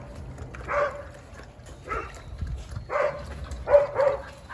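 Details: Several Jindo dogs on a winter Saturday morning in December give single loud barks roughly once a second, spaced irregularly, with low background rumble.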